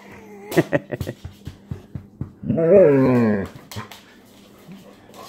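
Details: Dog inside a house during a described attack involving a German Shepherd, a run of scuffling taps and clicks, then a one-second wavering whine-growl with layered tones, and people speaking.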